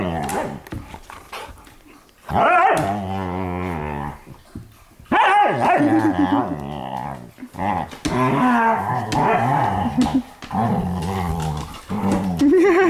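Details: Pet dogs playing together indoors in a living room at night, filmed 15 May 2014; drawn-out, wavering moaning vocalizations and rough growl-like grumbles come in bursts of a few seconds with short pauses between, plus faint human voices.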